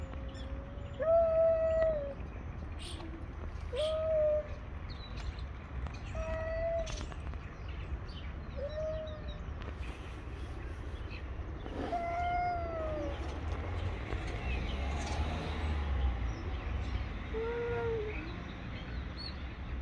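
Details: Two male stray cats on the street, face to face before a fight, trade drawn-out, wavering yowls, about six tonal wails spaced every two to three seconds, over a low outdoor rumble with faint bird chirps.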